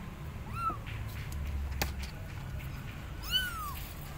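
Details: Abandoned kitten on a gate meowing loudly, calling its mother cat; two clear, arched, harmonic-rich meows, one near the start and one near the end, with a sharp click between and faint low hum.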